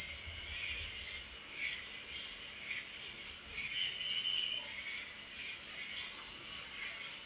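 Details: Crickets at night produce a constant, sharp high trill, accompanied by softer, pulsing lower chirps and a few faint low knocks near the start.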